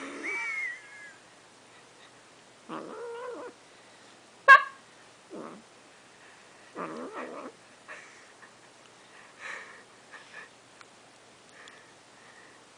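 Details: A domestic cat gives a string of odd, wavering meows and throaty trills while being brushed.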